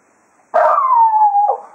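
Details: A single drawn-out howl from Cato the Jack Russell Terrier, bidding the hounds farewell after foxhunting at Quail Roost, opening loudly and gliding smoothly downward with a small wavering dip near the end.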